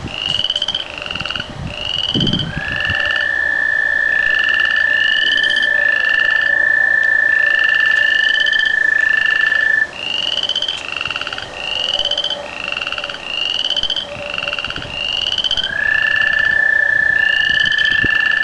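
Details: Frogs and tree frogs singing before a rain: a dense outdoor chorus of short rising notes repeated rapidly, overlaid by long, even trilled calls that run several seconds at a time, with a low background hiss.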